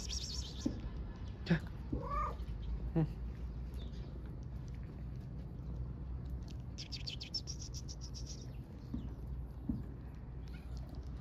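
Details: Homeless mother cat and kitten on the streets of Istanbul, wanting affection more than food: a few short bending meows in the first three seconds, then a person speaking softly over a steady low street rumble.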